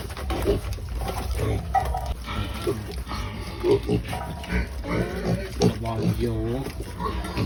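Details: Pigs (Sus scrofa domesticus) grunt and squeal noisily in a crowded chorus at feeding time, with some human speech in the background.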